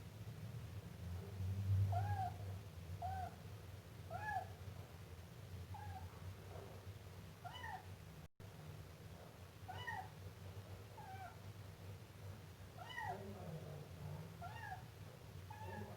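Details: Meowing Siamese kitten producing a fairly regular series of brief, high, arched mews, several each few seconds, with a soft droning hum underneath and a momentary break midway.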